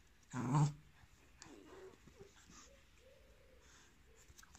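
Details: . Young male Pit Bull, one year old and about 30 kg, awaiting adoption in Cremona, Italy, recorded inside a small room. A single short, deep, rough growl near the start, then quiet soft rustles and faint vocal murmurs.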